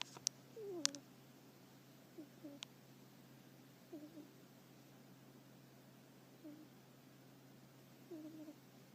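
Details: Sleeping hedgehog snoring and stirring, perhaps dreaming. Short, soft, squeaky snores fall in pitch and come at uneven gaps of about one and a half to two seconds, with a few sharp clicks over a steady low hum.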